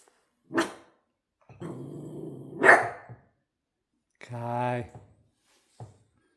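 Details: Male Shiba Inu barking at home early in the morning, at 6 a.m.: a few short, separate barks spaced over several seconds, with a longer, tonal, whining vocal near the end and a person's voice mixed in.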